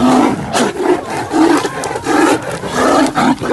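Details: Two wild 17-month-old Bengal tigress sisters, born 2018, fighting over territory in Ranthambore National Park, Rajasthan, India; harsh, loud snarling roars in quick bursts about every half second, with a raspy buzzing tone.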